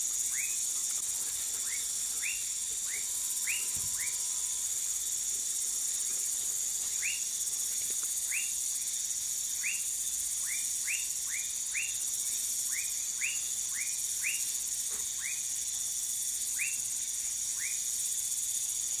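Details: Dwarf tree frog (Dendropsophus nanus) from Manaus, Amazonas, Brazil, giving around twenty short sharp chirps. They come in irregular bursts and clusters with brief pauses, over an unbroken high insect buzz and a faint low tone.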